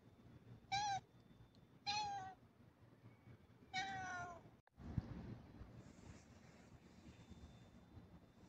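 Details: Black pet cat giving three short, clear meows about a second apart, each slightly falling, then a rustling bump and quiet room noise.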